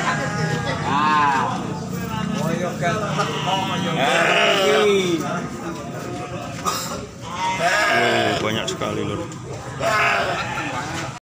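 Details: Goats at the busy Grabag goat market, where very many animals are gathered. Several loud, wavering bleats near one, four to five and eight seconds rise over continuous crowd chatter and people talking close by.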